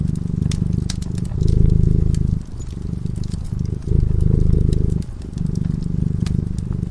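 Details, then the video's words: Peaceful cat asleep by the fireplace, purring in a low vibrating drone that alternates between fuller and quieter stretches every one to two seconds, accompanied by crisp crackling of the fire. "Purring cat"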